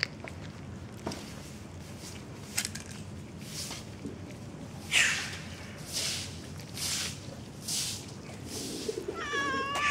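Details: Hungry white cat eating boiled fish on the street at 5 am. Scattered chewing clicks and soft street noise, then a short, bright, harmonic meow rises near the end.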